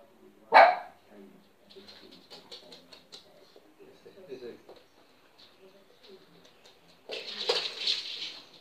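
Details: Lhasa Apso scared of a balloon gives one sharp loud bark, then soft whines and snuffling sounds indoors, ending in a hissing rustle.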